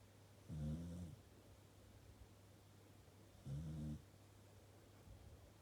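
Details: Sleeping Corgi on its sofa gives two low, grumbling snores about three seconds apart, each lasting half a second, with a faint background hum in a quiet room.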